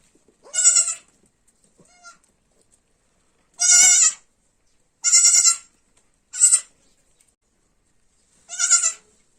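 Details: Baby goat bleating: five short, high, nasal bleats with a quavering buzz, each under half a second, spaced irregularly about one to two seconds apart, with a faint softer bleat early on; otherwise quiet.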